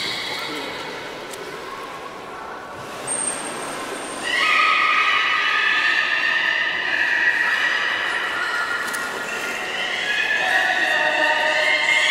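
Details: Belugas being moved between pools at Port of Nagoya Public Aquarium, 11 August 2018, during an attempted swap of Nana and Hodoi. A faint start gives way to long, layered whistles and squeals that sustain, overlap and waver.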